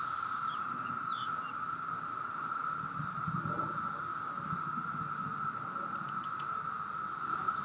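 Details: Maryland, summer 2021, periodical cicadas out after 17 years below ground fill the air with a continuous level drone at one steady pitch, with low rustling and faint handling noise beneath.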